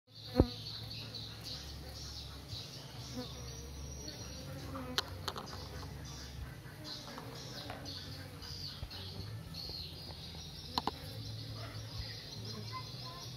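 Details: Many Western honey bees (Apis mellifera) flying in and out of their hive make a steady, low, droning buzz that swells and fades as they pass.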